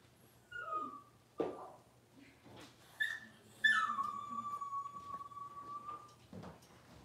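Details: Cavalier King Charles Spaniel puppies aged six weeks, handled for deworming and nail trimming indoors, give thin whimpers, ending in one drawn-out high whine that falls gently and holds steady for over two seconds.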